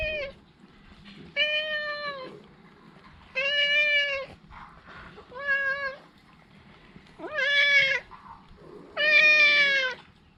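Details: Talkative stray cat meowing again and again: six loud, drawn-out, tonal meows, each about a second long and rich in overtones, coming roughly every one and a half to two seconds over a soft, low background murmur.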